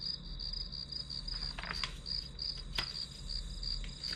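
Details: Grass insect chorus used as white noise for studying: bright high-pitched chirps pulsing quickly and evenly, close to three per second, broken by a few soft taps and one sharp click.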